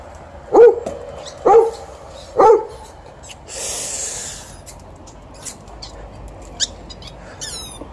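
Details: Golden Retriever TJ, 12 years old, demands a game of fetch after a morning walk, sharing ball time with Alaskan Malamute Liza: three punchy barks roughly a second apart, followed by a brief rush of noise and faint chirps.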